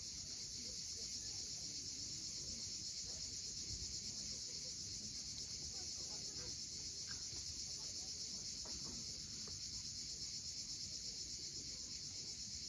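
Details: Sunset chorus of cicadas on Crimea's steep coast at Cape Fiolent: an unbroken, shimmering high-pitched drone fills the whole stretch, over a low wash of waves and a few brief, faint bird chirps.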